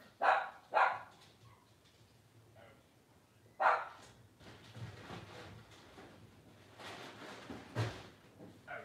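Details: Blenheim Cavalier King Charles Spaniel puppies, 12 days old, from a litter of five born on New Year's 2023, giving a few short squealing cries at irregular intervals with quieter fussing and low rumbles between.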